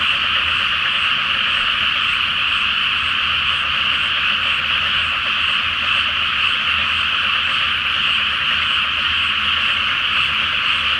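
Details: Great frog chorus over a flooded rice paddy before transplanting, on a full-moon night; a constant, shimmering mass of croaks holds steady from start to end with no individual caller standing out.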